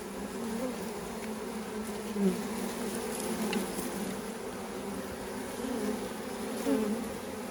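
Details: Several thousand honey bees poured from a package into a new hive alongside their caged queen; a dense, even droning hum throughout with faint rising whines from passing bees.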